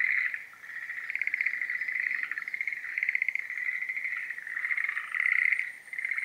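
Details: Several Schlegel's green tree frogs call in breeding season, giving rapid, rattling, bubbly trills that overlap into a steady chorus. Short louder bursts stand out against the continuous trilling, with a brief dip in volume near the start and the end.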